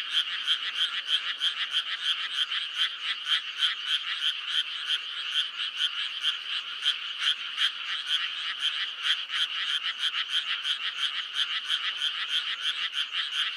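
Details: Frogs calling in May, offered as meditative listening: a dense, continuous chorus of rapid, raspy pulses, about three per second, overlapping steadily with no other sounds.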